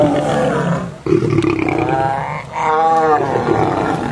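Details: A lion and lioness in a fight give angry snarling roars, a rough growl breaking off after a second, then a sustained wavering tonal roar that swells and falls, dense and close throughout.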